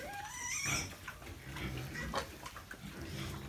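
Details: Piglets raised by their sow and sold at 38 days old; a short falling squeal at the start, then scattered noisy grunts over steady low pen hum.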